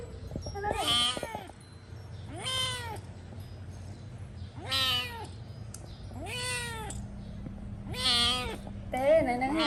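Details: Cat screaming in six strong, wavering meows spaced about one and a half seconds apart, each bending up then down, with a steady low hum and faint voices behind.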